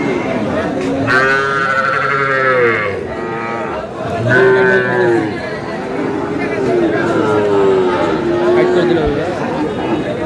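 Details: Sahiwal bull purchased by a Kurigram farmer, 5 May: a series of mooing calls with strong harmonics, some short and some drawn out, mixed with nearby men talking.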